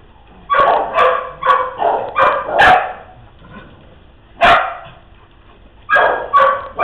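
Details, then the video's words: Dogs playing together with a fast flurry of yapping barks, then a pause, a single loud bark, another pause and a final quick pair of barks. "Dogs Playing"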